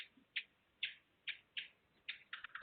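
A tiger moth gives short, crackling click bursts about twice a second, crowding closer together at the end. These rapid clicks jam a hunting bat's sonar so it cannot pinpoint the moth.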